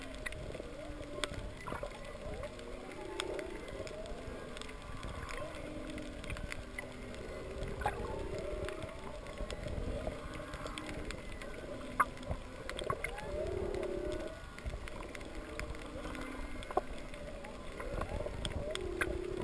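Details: Whales give low, moaning calls that rise and fall underwater amid steady crackling reef sounds, recorded while snorkel free diving at Kaanapali over coral on a wrecked sailboat keel.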